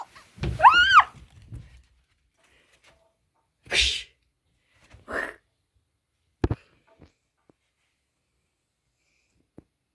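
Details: Formerly homeless female cat named Cat, indoors on a day of extreme heat and storms, playing hide and seek: one bright, arching meow at the start, followed by a sneeze-like burst, a softer puff and scattered thumps in a quiet room.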